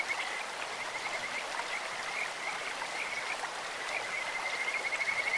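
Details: Kajika frog voices over a clear stream, described as beautiful and bird- or insect-like: a thin high trill holding one pitch, pulsing quickly, brightening near the end, with flowing water throughout.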